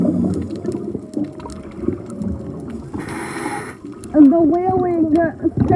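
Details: Male humpback whale singing underwater during breeding season on a night dive, close by; after low rumbling and a diver's bubble burst, a loud wavering tonal unit with stacked harmonics rises and bends near the end.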